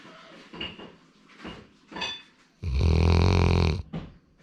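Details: Labrador Retriever Sora, a male born 8 February 2019, snoring indoors: soft breathy rasps, then one long, loud, rumbling snore of about a second before quieter breaths return.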